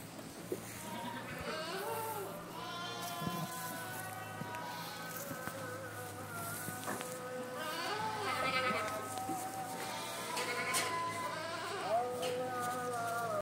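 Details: Hill goats of Boer and Saanen breeds kept for breeding, a herd bleating continuously with many overlapping wavering, nasal calls, plus a steady low hum in the background.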